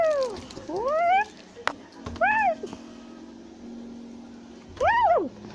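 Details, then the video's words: Black-capped capuchin, a tufted capuchin, climbing a tree in South America, shouting and chattering. Falling then rising sweeps open, followed by an arched cry and, after a quiet gap, one loud descending wail. "Capuchin Monkey is Climbing a Tree While Shouting and Chattering Sounds in South America"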